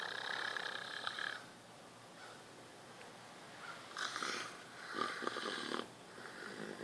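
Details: Kiya, a deaf leopard at the Wildlife Survival Sanctuary in Spring Hill, Florida, snoring in her sleep because of breathing trouble; raspy broadband snores in bursts of about a second, with quieter gaps between breaths.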